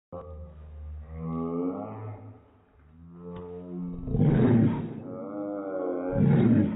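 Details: Airedale Terrier barking, slowed down to slow motion, so the barks become long, deep, wavering moans with layered tones, followed by two broad, rough bursts near the end.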